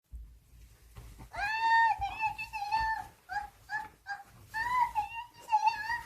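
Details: Pet dog Byeol indoors, playing a zombie game after watching Kingdom: long wavering, high whining howls with warbling tones, rising and falling over several seconds, then shorter yelps, while a woman cheers the dog on.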